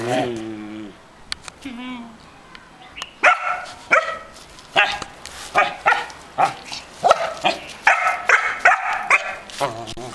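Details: A young Belgian Malinois, male, two and a half months old, recorded with an older female Belgian Shepherd aged 14. A short whine opens, then quiet, then a run of sharp barks repeated roughly once a second.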